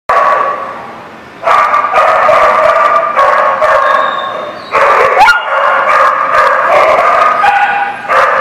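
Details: Several dogs barking together, recorded 2/11/19: dense overlapping bursts of loud, harmonic barks and yips, with a brief quieter gap near the start and a short steady whistle-like tone midway.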